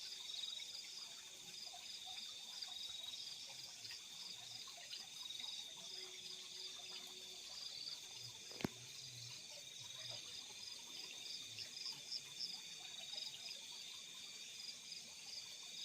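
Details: Crickets calling at night in fields, a dense high shimmering chorus of steady pulsed chirps with a sharp click near the middle and faint low rumbles beneath.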